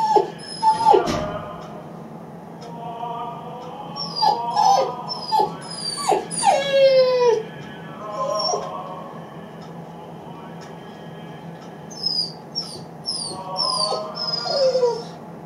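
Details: Riddle the Great Dane puppy, 8 weeks old, cries when a person leaves the room: high wavering whines and drawn-out howls that rise and fall, in bursts separated by quieter pauses, against steady low background hum.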